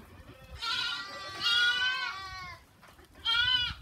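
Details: On a goat farm, a goat gives a long, shaky, rising-then-falling bleat, followed after a pause by a brief louder one. The background is otherwise quiet.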